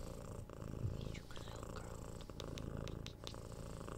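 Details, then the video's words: Six-month-old kitten purring as it is cuddled and given head scratches indoors, binaural recording: a continuous deep purr under a series of light smacking kiss sounds and faint clicks. "Cat Purring"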